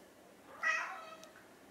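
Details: Hungry house cat, one of an orange tabby and a mackerel tabby pair, begging for food indoors before mealtime: a single short, bright meow rising then quickly falling away in a quiet room.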